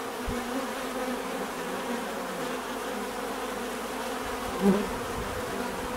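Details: Continuous hum of bees, a thick buzzing swarm drone with a brief louder buzz as one insect passes close near the end, plus a soft low thump at the start.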